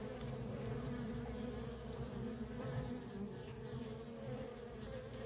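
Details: Constant traffic of worker honey bees at a feral colony gives a thick, unbroken buzzing drone with pulsing low rumble underneath and a couple of faint high ticks.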